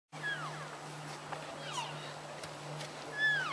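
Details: Wintering elk at the Oak Creek feeding station in Washington. Three brief, high, squealing chirps, each sliding and bending, come at the start, middle and end. They sit over a steady low hum, and a child speaks afterward.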